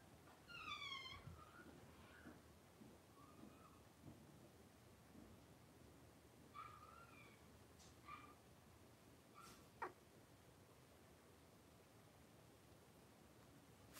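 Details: Litter of five three-week-old blenheim Cavalier King Charles Spaniel puppies playing and wrestling indoors in a pen; thin high squeaky whines and yelps, first a wavering cry, then scattered short squeals, with faint scratching and shuffling between.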